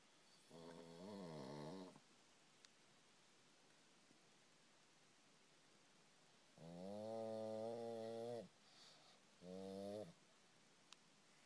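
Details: Victor-Guillaume, a pet pug, snores while sleeping upside down in a closet indoors at night, 24 May 2012: three droning, harmonic rasping snores, the middle one longest, with quiet gaps of several seconds between them.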